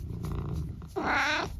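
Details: Talkative elderly tabby mix cat at home in the UK, in conversation with its owner: a half-second harmonic meow, slightly wavering, after low rumbling room noise, and then the owner praises it.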